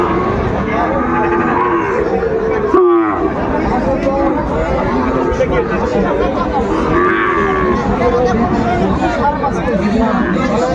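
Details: Sahiwal bull calves traded at the opening of Raniganj cattle market in Dinajpur on 20 February 2025; low drawn-out lowing moos rise through loud crowd chatter and haggling voices, with a sharp knock near the third second.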